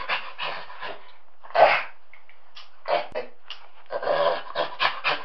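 A chimpanzee gives breathy, hoarse panting bursts in uneven runs, some short and clipped, others longer and rougher, with brief quiet gaps between.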